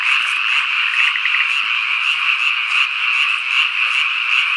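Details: Cicadas, including higurashi and niinii-zemi, drone in a steady, dense, high buzzing chorus that swells and pulses slightly, recorded on a summer evening or night in the countryside of Ikusaka village, Nagano, Japan.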